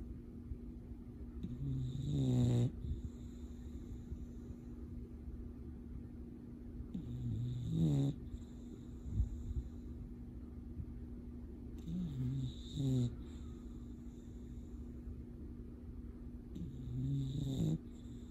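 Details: Sleeping English Bulldog snoring in a steady cycle: four low, rough, rasping snores, roughly every five seconds, each rising to a buzzy peak and then cutting off, with soft breathing and a faint hum between them.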